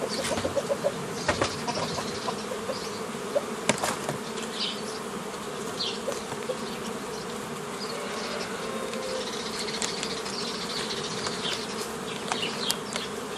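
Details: Continuous humming of honey bees during the making of nucleus colonies from a forager swarm, 15 May 2018; the dense drone holds steady, with faint distant birdsong and a few clicks over it.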